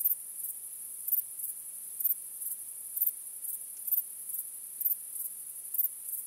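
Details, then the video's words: Crickets chirping on a starry night, a steady high-pitched shimmering trill with brighter pulses roughly once per second, over an otherwise quiet background. "Cykanie Świerszczy 🦗 Gwieździstą Nocą 🌙 {Night Crickets Sound}"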